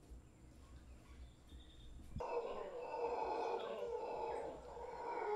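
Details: Large troop of wild howler monkeys in a tree in Guanacaste: after two quiet seconds a deep, rough, sustained roaring chorus breaks out suddenly and carries on at full strength, with faint insect or bird notes above.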